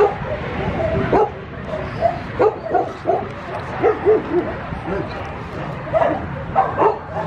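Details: Several short, high yelps and whimpers from Schnauzer puppies come in bursts, sometimes overlapping, while a person talks quietly in the background.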